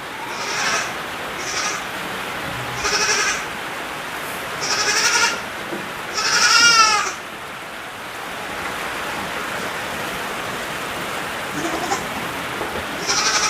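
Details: Black goats at a hands-on farm in Jeju, Korea, home to 3,000 black goats beside a cypress forest; a run of harmonic, wavering bleats repeats every one to two seconds, the loudest a quavering cry, over steady hiss like rain.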